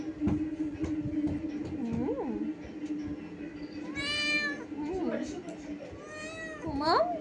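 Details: Cat giving a few high, bright meows with rising and falling tones, spaced a couple of seconds apart, while a person talks softly in Bengali about it feeling cold; a low steady hum runs underneath.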